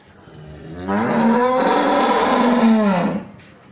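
A cow gives a long, loud moo that rises, holds steady, then falls away.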